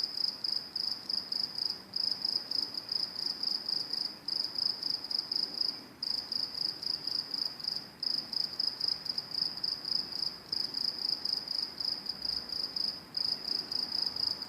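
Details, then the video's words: Crickets near train tracks keep up a dense, shrill pulsed chirping, bursts running nearly together with short gaps every couple of seconds, over low background noise. "Crickets making noise at train tracks"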